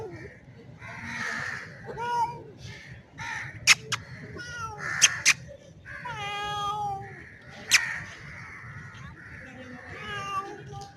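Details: A male street cat resembling a Bengal gives a series of long, harmonic, rising and wavering yowls with shorter mews between, mating calls directed at a female in heat; a few sharp clicks in the background.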